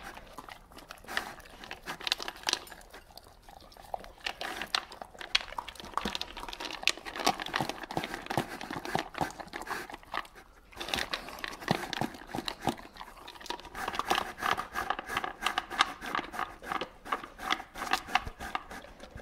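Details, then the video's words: Dog gulping dry kibble without chewing, indoors; dense crunchy clicks, rattles and swallowing noises run continuously through the whole stretch, with brief pauses, no barking or voice. "Hund schlingt Futter/Trockenfutter ohne kauen dog loops food"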